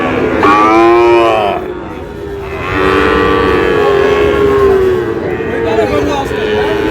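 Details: Sahiwal bull calves being sold at Amboari market, Manikganj, Bangladesh, 14 August: a loud harmonic lowing call opens, then longer sliding moos follow, with market crowd noise and voices behind.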